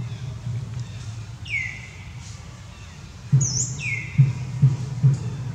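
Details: Mother and baby monkeys of the Amari troop crying to call their babies and leader back: clear, high, downward-sliding wails, two long cries and a brief higher squeal, over a steady low throbbing music beat.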